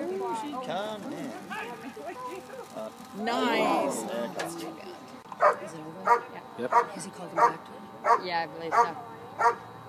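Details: Dog performing a bark and hold at the 2013 Schutzhund USA Nationals IPO event: people talking for the first half, then loud, sharp barks repeated at a steady pace, about eight in the last five seconds.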